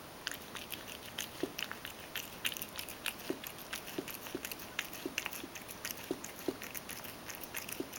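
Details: Mojio, a Ragdoll cat, eats crushed kibble softened with hot water. Steady, rhythmic chewing comes roughly twice a second, each bite a moist crunch with a duller thud under it. The recording is otherwise quiet.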